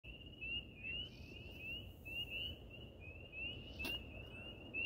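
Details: On a summer night walk with a dog in a small town in Michigan's Upper Peninsula, a chorus of spring peepers gives high, rising peeps that overlap one another almost without a break.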